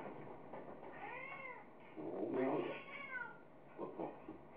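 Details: Munchkin, a house cat play-fighting with its owner, makes two bending meows about a second and a half apart, followed by a short rougher sound. A steady background hiss runs throughout.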